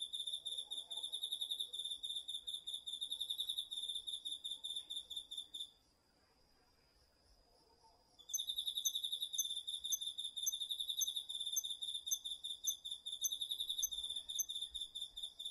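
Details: Crickets and other autumn insects in a home vegetable garden, taped with a DR-40X. A shrill, pulsing trill runs for several seconds, stops for about two seconds of near-quiet, then resumes just as fast and high.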